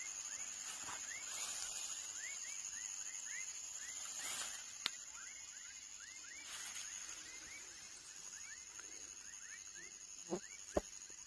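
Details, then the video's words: Young frog calling in a quick run of short upward-sliding chirps, two or three per second, then fading; a constant shrill insect-like hum underneath, and a few sharp clicks near the end. "Som de Rã filhote / Baby frog sound"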